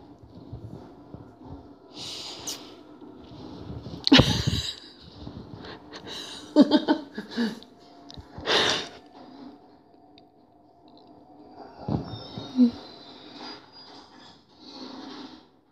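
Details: A 6-month-old male Dachshund puppy in a burst of crazy play gives short breathy snorts, sneezes and huffs in uneven bursts.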